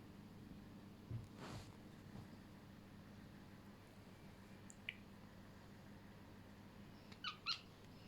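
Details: A Scottish Fold cat, watching birds, gives a few brief, high, stuttering chirps near the end, a soft chattering, in a quiet room with one dull knock early on.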